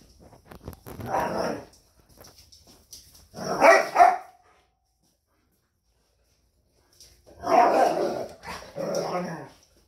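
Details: Female Rhodesian Ridgeback rejecting a male after the breeding period: rough, noisy growling and snapping bursts in three bouts separated by silence, the middle bout brief and sharp. A person speaks faintly between them.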